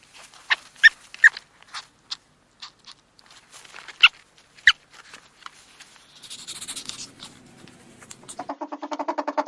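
A ferret gives quick clucking chuckles, then a breathy hiss and a rising run of squeaky whines.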